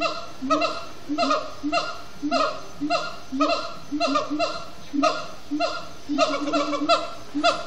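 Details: Extended singing by siamang gibbons at sundown, Disney's Animal Kingdom; a continuous series of harsh, honking whoops, each briefly rising then dropping, pulsing about twice per second with some overlapping voices.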